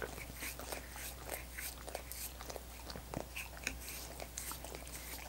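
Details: Quiet, close licking of frozen coconut water popsicles by dogs, with soft wet clicks and smacks coming every fraction of a second, plus an occasional sharper crunch, all over a constant low electrical hum.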